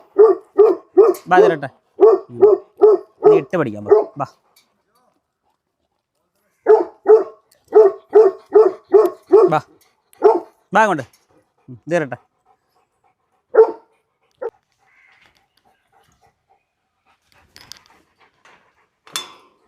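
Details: Tibetan Mastiff dog barking in quick runs of sharp, evenly spaced barks, several per second. A pause separates two long bursts, and scattered single barks trail off toward the end.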